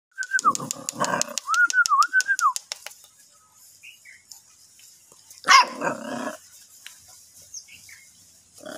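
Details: Boxer puppy gives high, wavering whines over rapid clicking pulses, then one sharp yelp partway through, followed by near quiet with faint scattered sounds.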